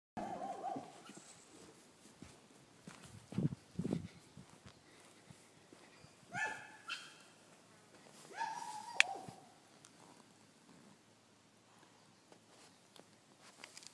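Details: A baby koala with its mother gives a few short, whining squeaks with a nasal, slightly falling tone.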